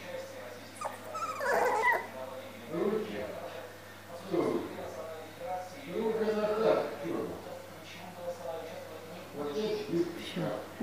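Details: Siberian Husky puppies at a kennel whimper and yip in thin, wavering whines, with human voices nearby.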